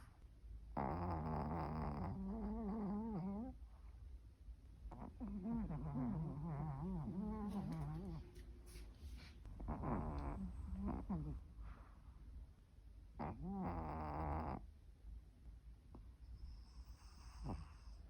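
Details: Dog snoring with eerie, ghostly sounds: several long, quavering, moan-like snores with wobbling pitch, separated by quiet breaths, in a quiet indoor setting.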